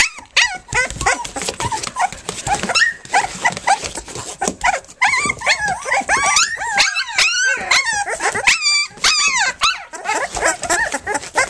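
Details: On their three-week birthday, Flute's nursing and playing pups give loud continuous chorus squeals. The high cries arch and swoop in pitch, with several pups calling over one another almost without pause.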